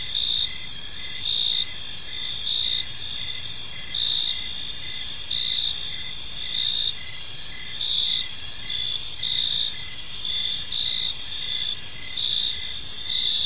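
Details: Chorus of crickets in a peaceful park as evening falls: unbroken high trilling bands, a lower voice chirping in quick even beats, and brief louder swells every couple of seconds against faint low rumble.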